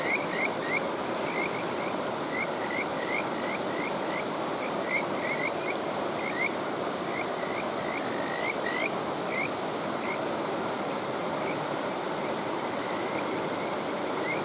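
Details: Kajika frog calling beside a mountain stream: a long series of clear, rising whistled notes, some run together into fast trills, repeating steadily over constant rushing water.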